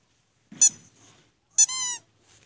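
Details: Six-month-old black German Shorthaired Pointer named Black Jack, playing lazily; two short high-pitched squeaky whines about a second apart, the second stretching into a longer drawn-out tone, with near silence around them.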